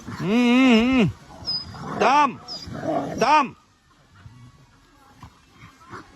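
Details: Curious dogs looking up at a flying drone give a long wavering howling cry, then two shorter rising-and-falling yelps. Quieter background with faint voices follows.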